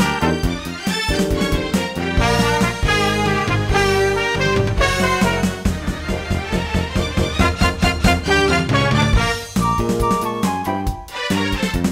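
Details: Upbeat swing-style music with brass and trumpet lines fills the whole stretch.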